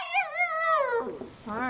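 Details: Puppies playing after recovering from feeling unwell, one giving a drawn-out, wavering howl that slowly falls in pitch, followed by a brief whimper at the end.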